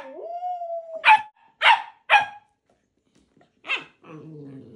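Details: Playful husky puppy Balto pressing Max to join his game with a toy chicken; a long level whine breaks into three sharp barks, a pause, one more bark, then a low grumbling moan.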